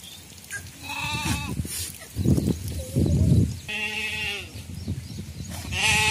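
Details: Sheep in traditional Indian sheep farming, among the flocks of herders: wavering, harmonic bleats rise near the middle and again at the end. They are mixed with low rumbling handling noise and scattered thumps.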